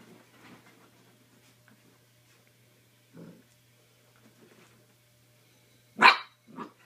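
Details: Mini dachshund puppy going wild in play, quiet rustling and a low muffled grunt before one loud, shrill yap followed by a short softer yelp at the end.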